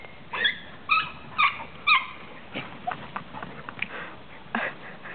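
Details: Small dog attempting to bark, managing only four short, high, squeaky yaps about half a second apart, followed by softer faint whimpering notes.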